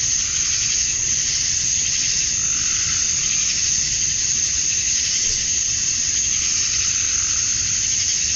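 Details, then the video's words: Cicadas at dusk on a summer night in Georgia, USA, the males calling for females: a continuous high, hissing drone that holds level throughout, with slight throbbing swells in intensity. "Cicadas at Dusk, Summer Night"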